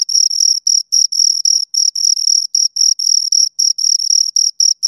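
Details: High, ringing cricket chirps from two insects, pulsed bursts of varying length about four per second with brief silent gaps, no other sound.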